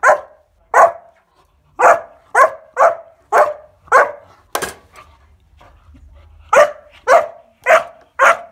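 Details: Bowie, a 14-week-old Kuvasz pup, barks indoors while playing with bathroom scales; quick repeated sharp barks, a short gap with a faint clatter, then another fast run of barks.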